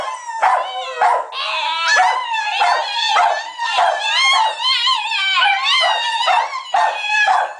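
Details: A female Italian Greyhound whines and yodels in wavering, high-pitched howls, seeking attention.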